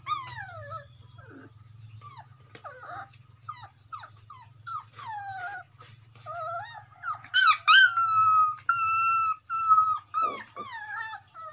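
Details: Dog calling to its friend: scattered short whimpers and yelps at first, then louder drawn-out howling whines near the end, with a constant thin high tone and a low rumble in the background.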